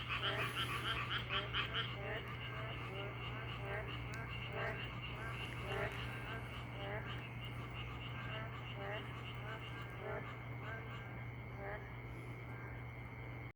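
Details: Frogs croaking outdoors, loud and rapid for the first two seconds, then softer scattered croaks continuing against a steady high whine and a constant low hum.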